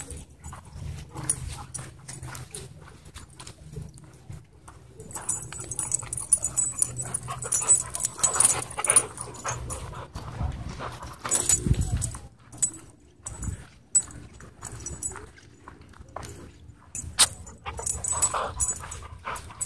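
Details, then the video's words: Dogs at a dog park where play turns into aggression: dense, irregular rough bursts of scuffling and growl-like noise, with a heavy low thump near the middle and faint human voices in the background. "Stopping Play That Turned Into Aggression At Dog Park"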